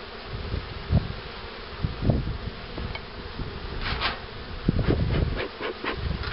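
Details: Honey bees humming around hives being prepared for queen rearing in 2013, a low steady drone broken by frequent dull knocks and thumps from hive handling, with short brighter scraping bursts.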